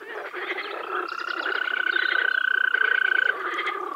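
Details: Spring frogs at a wetland in the Czech Republic: fast, pulsing croaks run together into a continuous chorus while a steady mid-pitched trill holds through the middle seconds.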